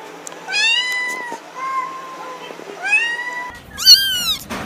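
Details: Domestic cat giving drawn-out, steady meows, each held about a second, followed by a sharper, higher rising-falling meow at the end.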